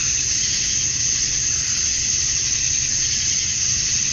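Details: Cicadas at dusk on a Georgia summer night, males chirping to attract females; a continuous high, sizzling wall of sound with slight swells in intensity and a faint low murmur below.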